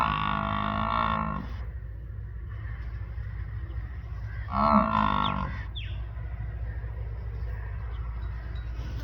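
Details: Farm buffalo bellowing twice, each a loud, harmonic-rich drawn-out call of about a second and a half, separated by a few seconds of steady low rumbling background noise.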